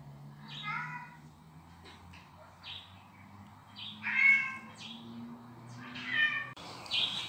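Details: Domestic cat calls played to Kitty, a house cat who guards her territory against unknown felines. Several harmonic, wavering meows at irregular intervals, some rising then falling, with a low steady hum underneath and a harsher burst at the end.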